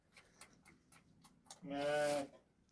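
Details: Sheep in a flock kept by a herder in the Moroccan countryside, the day an older ewe gave birth to a female lamb; one short harmonic bleat lasting about half a second, with faint rustling and clicks before it.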